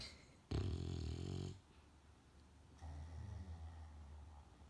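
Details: A tired female English Bulldog, sound asleep with her head on a girl as a pillow, snores peacefully with a deep, rattling, low-pitched rumble.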